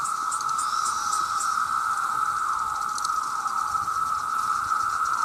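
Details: A huge chorus of male cicadas crying out to attract mates, very loud: a dense, steady whining drone with slight wavering pitch, plus a few sharp high ticks near the end.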